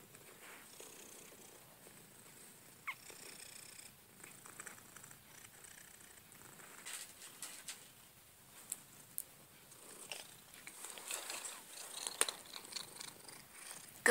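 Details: Cookie, a female pet cat, purrs softly indoors in a steady, low rumble with light clicks and rustles, while her owner speaks gently to her.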